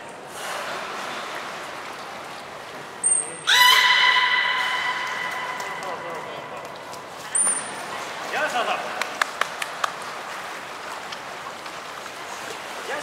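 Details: Captive beluga during a training session with Gray, Mirai and Niko at Port of Nagoya Public Aquarium, Japan, 16 December 2018: a short piercing trainer's whistle, then a loud buzzy harmonic tone lasting over a second, another whistle and scattered crackling clicks.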